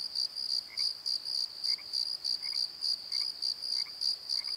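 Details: At night in a valley bottom at Pozo, crickets chirp in quick high pulses roughly three a second, while a second, lower insect chirp repeats about every second beneath them.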